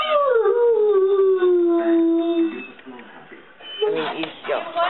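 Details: Great Dane howling: a drawn-out tone glides downward for about two and a half seconds, then fades into quieter mixed sounds and a burst of short yips near the end.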